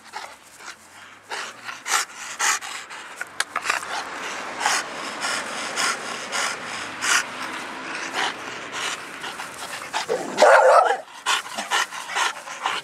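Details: Panting dog from a family of English bulldog, bull terrier and American bully dogs, steady fast breathy huffs for most of the stretch, then a louder rough burst near the end.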